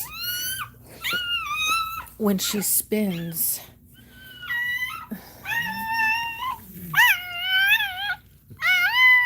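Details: Cane Corso crying indoors while another dog, Cashmere, is in labour: a series of high, harmonic whines, some level and some arching or dipping, in bursts of about a second, with brief human speech partway through.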